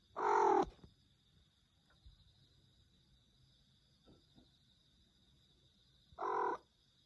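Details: Domestic cat making its peculiar meow, two short harsh, flat calls about six seconds apart, each lasting roughly half a second, with a quiet room and a steady high electrical hum between them.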